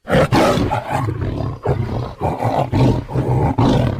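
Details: A tiger gives a rapid series of short, gruff roaring pulses, about two each second, deep and rasping, with no other sounds.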